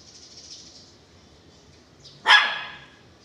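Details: Belgian Malinois named Weapon gives a single sharp, loud bark after two quiet seconds of faint high background chirping outdoors.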